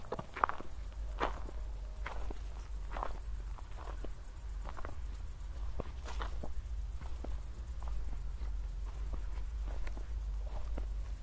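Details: High, rhythmically pulsing cricket trill at night following a thunderstorm in Zwettl, Austria, steady across the whole stretch, accompanied by a walker's footsteps and a constant low-frequency drone.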